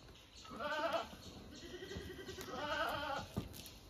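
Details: Two softer, shaky bleats from owned domestic goats, about two seconds apart, joined by a lower, steady drawn-out tone and light background noise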